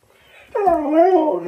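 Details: Siberian husky shouting back at its owner: a loud, wavering, harmonic yowl that starts abruptly, dips and rises again like talking, with faint speech before it.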